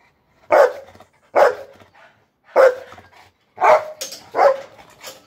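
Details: Bullmastiff dog barking five times, deep loud single barks spaced about one second apart, each with a short fading tail, clear against a quiet background.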